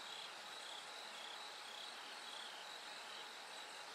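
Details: Ringing high-pitched trills of bell crickets at night, before dawn slowly lightens, pulsing in short repeated phrases over an even hiss.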